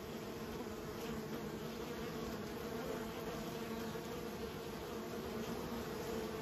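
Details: Kept honey bees raised by a beekeeper, a dense, steady droning hum with low tonal bands and a faint higher hiss, unchanging in level for the whole stretch.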